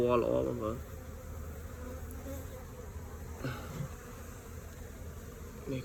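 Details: Honey bees around a comb packed with multicoloured bee bread give a low, steady, continuous hum throughout. A short burst of a man's voice opens the recording, with a faint knock midway.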